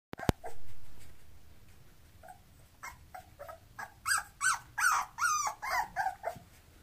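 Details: Bulloxer mixed-breed dog: after a couple of sharp clicks and a faint whine, a series of about ten short, high yelps builds up and grows louder, coming in quick, uneven bursts toward the end.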